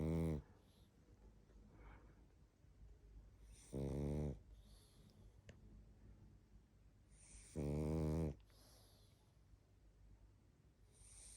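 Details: A drowsy pug called Barney snores in his sleep, deep buzzing snores recurring about every four seconds with gentle wheezy exhales and sniffling between them in a small quiet room.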